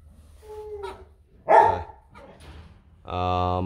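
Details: Rottweiler from a puppy litter in Vietnam, offspring of Bruno Slenio and Hanna Gervi; one loud, sharp bark bursts out midway, preceded by faint murmurs and followed by a sustained human voice.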